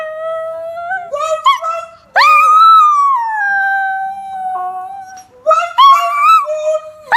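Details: Female Chinese Crested Powderpuff dog, three turning four, howling in the morning on the Gold Coast, Australia, while teaching another Powderpuff to howl; long tonal howls that swoop upward then slide slowly down, broken by short rising yips between them.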